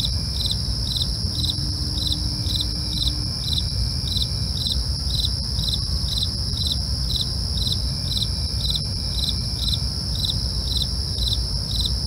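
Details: Crickets calling at night: evenly spaced high chirps about three per second ride on constant shrill ringing tones, with brief faint whistles and a continuous deep rumbling noise underneath.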